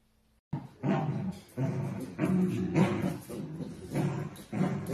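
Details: Dachshund puppies at play, giving a string of harsh, low, rough growling bursts, each lasting about half a second to a second, separated by brief pauses and coming in quick succession.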